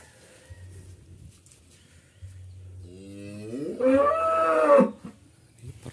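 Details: Qurban cattle being loaded at a farmer's pen for shipment to Jakarta bellow once: a rising, harmonic-rich moo swelling near the fourth second and lasting about two seconds, preceded by low rumble and handling noise.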